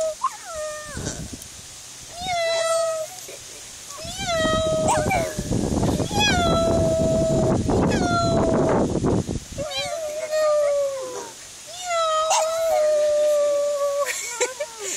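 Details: Pug impersonating a cat, meowing with its owner: a run of tonal, meow-like whines that waver and slide downward, repeated every one to two seconds. A burst of broadband rustling and voices sits in the middle.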